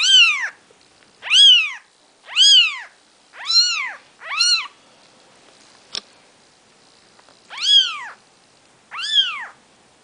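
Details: Maine Coon kittens on their fourth day of life beside mother Nikita, giving a run of shrill, arching mews about once a second, seven calls with a short pause midway and a faint click.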